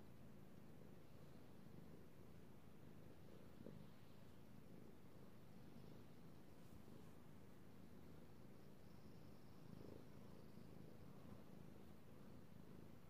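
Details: Domestic cat being petted indoors, purring in a steady low rumble throughout, with a few faint clicks and light rustling of fur or hand movement.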